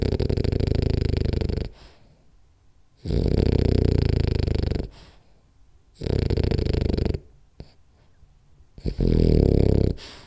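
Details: French Bulldog Rolly, sleeping through a short nap, snores hard and steadily: loud low rasping snores of one to two seconds recurring roughly every three seconds, quiet breathing between them.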